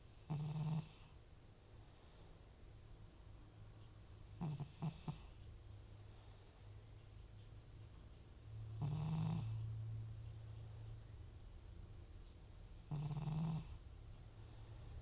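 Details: Butcher, an elderly FIV-positive rescued cat whose snoring returns with nasal trouble when medication stops, sleeps deeply. Four loud, raspy snores with a low rumbling core and breathy hiss come roughly every four seconds, with quiet breathing between.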